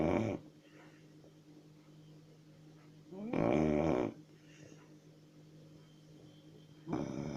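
A Chow Chow snores in rough, rattling bursts roughly every three seconds.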